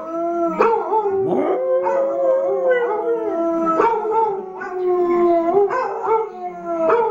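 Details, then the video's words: Arran, a pet dog who likes to sing along with other dogs, howls in long sustained wavering tones, several voices overlapping at different pitches, with short sliding breaks and swoops between held notes. "Arran's singing"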